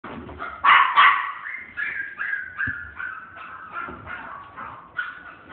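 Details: Miniature Dachshund puppy in a pet shop, giving a run of high whining yips and whimpers that slide downward, many short notes in quick succession with a louder burst near the start.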